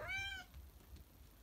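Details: Single brief, bright meow lasting under half a second, from one of two house cats, Salem and Sabrina, waking up after an afternoon nap; a low hum follows.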